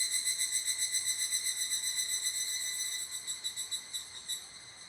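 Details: Higurashi cicada calling near an abandoned toilet: a high, ringing pulsed trill of about four pulses per second that starts loud and gradually fades and slows over five seconds, with no other clear sounds.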